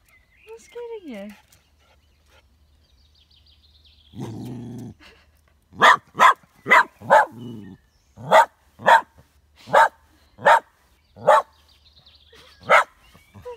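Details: A plucky, partially sighted two-year-old Westie named Gus picks a fight with his shadow indoors in Tain, Scottish Highlands, on a sunny day. After a spoken line, he lets out a steady run of about ten loud, evenly spaced barks.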